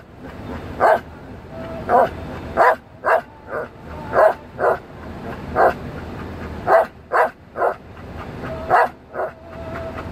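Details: A Belgian Malinois 'sings' along to music with short, yelping vocal bursts, roughly one each second, with a faint steady tone behind.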